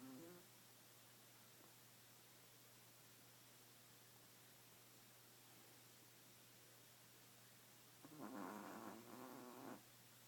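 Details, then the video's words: Dozing badger gives a single grating snore near the end after a long stretch of faint hiss, the snore rough and buzzy for under two seconds. "Sleepy Snoring Badger"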